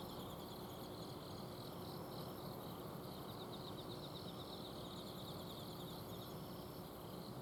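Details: Autumn insects singing after dark in a home garden, Azumino: continuous high chirping trills from several callers, with some pulses rising and fading, over the low mechanical drone of an air-conditioner unit.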